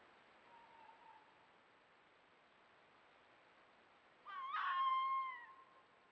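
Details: Fox calling during the early-year courting season, one of a romancing pair in mountain forest: a faint short call, then a louder drawn-out wavering yelp with bright harmonics, over a steady hiss.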